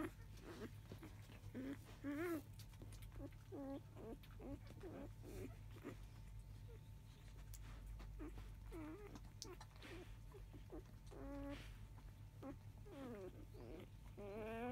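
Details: Five-day-old field-type Labrador Retriever puppies, mother biscuit, filmed a little after 3 pm, whine repeatedly: high, wavering, harmonic cries of varying length, scattered through the recording, some brief yelps between, with a constant low indoor hum beneath.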